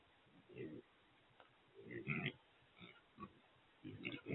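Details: Trapped wild pigs (feral hogs) in a corral trap give short low grunting bursts in irregular clusters, with a louder grunt near the middle and another group at the end, plus faint human speech.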